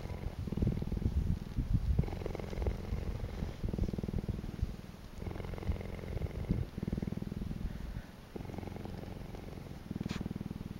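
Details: A cheetah named Samira at Naankuse, Namibia, purrs in a deep, steady rumble that pulses through each breath.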